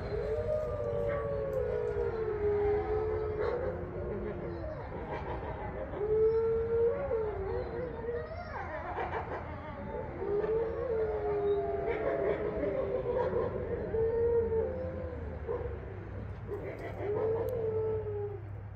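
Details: A chorus of grey wolves, the eight resident wolves of Wolf Hollow in Ipswich, Massachusetts, howls together on a full-moon night on 27 November 2023, with long mournful tones sliding and overlapping.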